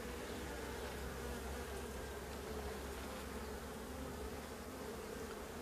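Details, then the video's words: Honey bee colony with laying workers, a drone-laying hive, buzzing as its honey-filled frames are opened and checked. There is a continuous thick droning hum at an even level and no clear other sounds. "Ruche bourdonneuse"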